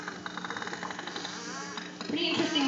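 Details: Pacific white-sided dolphin echolocation clicks, animal sonar for seeing in dark water, played back during a Vancouver Aquarium show on Oct. 4th 2010; a rapid, evenly spaced train of sharp clicks, then a human voice and crowd murmur.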